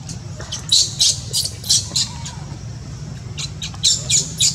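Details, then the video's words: Luno, a newborn monkey rejected by its mother Luna, cries in piercing high squeaks, in two clusters of rapid repeated squeals separated by a short quieter gap, over a constant low background drone. "Newborn baby monkey Luno crying cos mom - Mom Luna doesn't love newborn baby monkey Luno"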